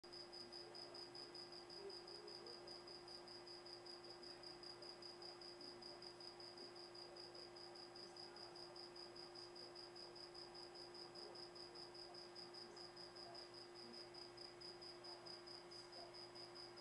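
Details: Cricket chirping steadily: a thin, high-pitched pulsing trill repeated about two and a half times per second without a break, over a faint steady low hum.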